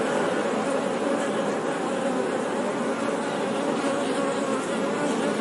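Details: Short stretch of honey bee buzzing, a steady, low, humming drone at constant volume with no breaks or other sounds.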